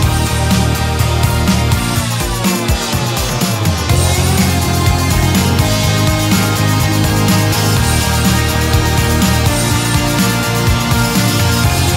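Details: Loud, dense rock-style music with heavy bass and steady beats plays throughout, with no animal sounds heard.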